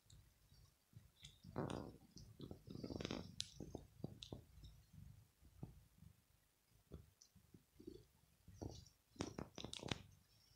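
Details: Male house cat grooming on a bed in the morning after a night's sleep, sitting up and licking his fur clean. Moist clicking lick sounds come in short bursts, with soft low thumps and brief sharp ticks between them in a quiet small room.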